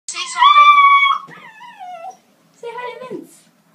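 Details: Siberian Husky puppies on their first vet visit give high, drawn-out whining howls that slide downward, then a short falling yelp, protesting loudly.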